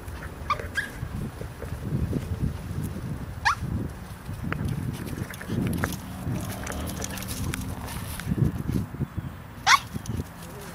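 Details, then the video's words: Pet dog on a Christmas Day 2013 walk in Community Park, Greenacres, Florida, upset at a squirrel antagonizing her from a tree, barking while looking up: sharp, high-pitched yelps several seconds apart over low rumbling outdoor background. "Barking At A Squirrel In The Tree"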